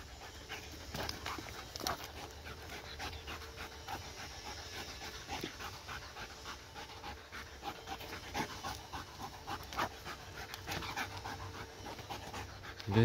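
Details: Tired dog that has chased a laser pointer for some twenty minutes and keeps running; steady, fast panting of short breathy bursts continues throughout, with a few louder scuffs and a brief high squeak at the very end.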